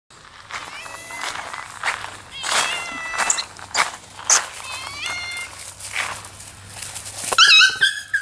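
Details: Domestic cats at home confronting a friendly abandoned puppy, trying to beat, attack and scare it: sharp breathy hissing bursts alternate with wavering, harmonic cries, ending in shrill rising calls.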